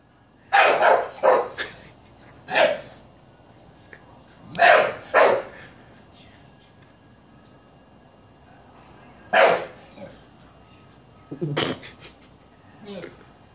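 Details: Staffordshire Bull Terrier attacking a black bag, giving loud sharp barks in pairs and singles with long pauses between, about eight barks over thirteen seconds, last ones rougher and shorter.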